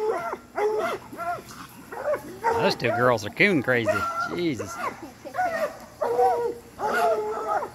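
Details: Several coonhounds in training for raccoon hunting bay together, overlapping arched howls and yelps building to a dense chorus in the middle before thinning to separate bays.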